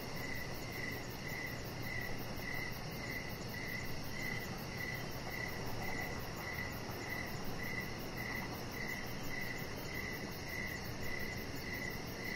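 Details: Chirping crickets on an evening deck under decoration lights: a steady string of brief mid-pitched chirps about twice a second, a rapid high insect pulsing overhead, and broad low rumble beneath.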